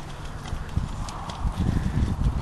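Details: Hooves of a mare at a smooth trot: a short run of dull, low thuds clustered closely together, with faint murmuring voices and steady background hiss.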